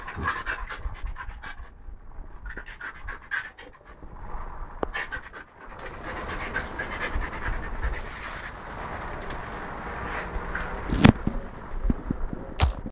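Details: Lucky, a pet Siberian husky, playing with a hedgehog: soft rhythmic panting with snuffling, a pause partway through, then steadier breathing and a couple of sharp clicks or knocks.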